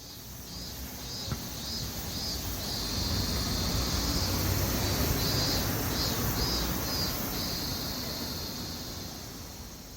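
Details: Several lively cicadas calling amid city sounds in summer, a steady high buzzing chorus that swells in pulsing bursts several times a second, with low traffic rumble underneath and a brief click early on.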